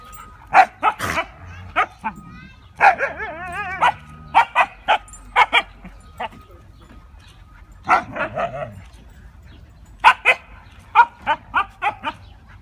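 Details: Playing Siberian Huskies, a group of dogs romping together; quick runs of sharp yips and barks in irregular bursts, some wavering whine-like notes between them, with a human voice also present.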